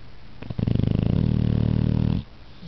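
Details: Snoring male Pit Bull asleep and comfortable: one long, low, vibrating snore of about a second and a half, steady and rattling, ending abruptly in a quiet indoor setting.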